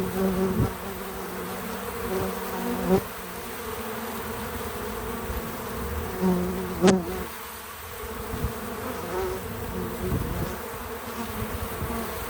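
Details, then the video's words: Bees at work around a feeder, recorded naturally with no music: continuous low droning hum, with a few brief knocks and a sharp click near the middle. "Bees in Slow Motion at the Feeder 🐝 | Natural Buzzing Sounds"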